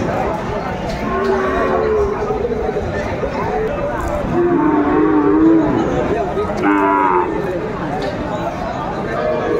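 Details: Moos of Sahiwal bull calves at the busy Aftabganj cattle market, Bangladesh, on Saturday 20 April 2024: several short, low, lowing calls at intervals, partly masked by crowd chatter, voices and general market hubbub.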